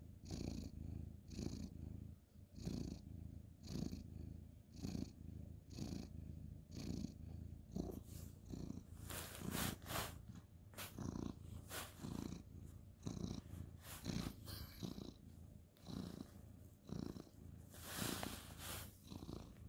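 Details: Male ginger tabby cat purring during night-time petting on a bed, 2/11/2023; steady pulsing low purr at first, then masked by rustling and handling noises in the second half.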